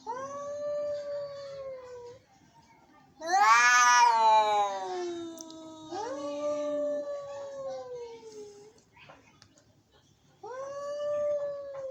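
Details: Angry cats meowing: long low moans answered by a sudden loud harsh yowl, then overlapping drawn-out wails from more than one cat, a pause, and another rising moan; faint hum in the background.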